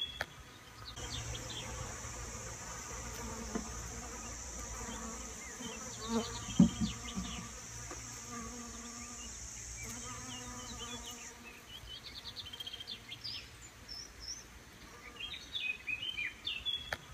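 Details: Bees from the area working a garden in Cestayrols, Tarn, France, that supplies a restaurant: wavering low buzzing tones rising and falling in loudness, with a long thin high-pitched whine, scattered bird chirps and low rumble.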